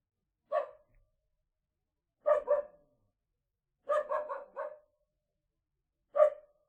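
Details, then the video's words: Small dog giving high, clipped barks in a quiet room, a lone bark, then a double, then a rapid run of four, then another single bark, with short silences between. "Small dog barking"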